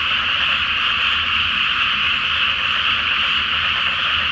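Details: Frog chorus at night in a flooded rice paddy before rice planting, under a full Flower Moon reflected on the water; many frogs call at once, a dense, unbroken croaking buzz with no gaps and a faint low rumble beneath.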